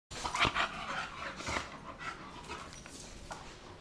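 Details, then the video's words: Two bulldogs, an 8-month-old American bulldog and a 6-year-old English bulldog, playing together in their own special way; quick breathy huffs and snorting bursts, loudest in the first second, then softer rasping breaths in a small room. "American bulldog 8 months vs English bulldog 6 years old"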